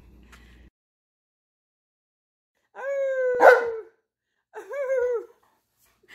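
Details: Alaskan Malamute vocalising indoors: two separate drawn-out tonal yowls, the first bending downward with a sharp click in the middle, the second shorter and arched, with silence between them.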